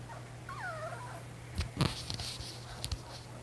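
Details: Old English Sheepdog puppies, three males born March 15, 2022, to Ellie and Wally: a brief high whine slides downward in a double glide near the start, followed by soft thumps and knocks over a steady low hum.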